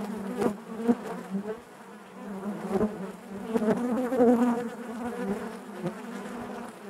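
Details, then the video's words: Honey bees inside their hive produce an unbroken, warm drone, the hum wavering in pitch and volume, with close wingbeats and small taps popping out, loudest around the fourth second. "bees therapy hive natural buzzing sound"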